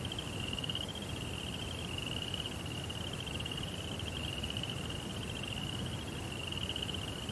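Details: Night crickets in a Japanese Zen garden setting give an unbroken high-pitched pulsed trill, holding one pitch throughout, above a continuous low background rumble.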